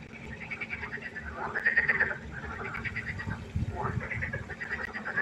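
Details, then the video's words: Frogs calling at night by a pond: overlapping nasal, rattling croaks rise and fall in loose bursts over a steady low hum, with several callers blending into a dense chorus. "1 Stunde Froschkonzert. Frosch Geräusche quaken. Frösche Geräusche Konzert"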